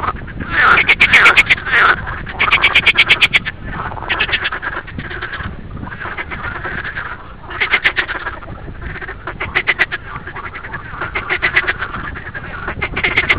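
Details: Green frogs croaking in a noisy chorus, with loud rattling bursts of rapid pulses every couple of seconds rising above a constant murmur of quieter callers.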